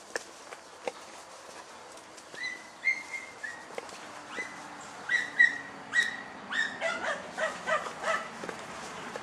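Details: German Hunting Terrier Dunja on a wild boar hunt, giving high, yelping barks that start after a couple of seconds and grow more frequent, in irregular bursts, with faint rustling behind.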